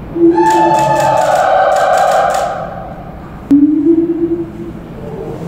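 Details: A father and daughter siamang pair at a zoo, recorded 28 November 2018, duet with loud, sustained hooting tones, one high and steady over a lower voice; after a sharp knock a lower drawn-out note swells and fades in an echoing space.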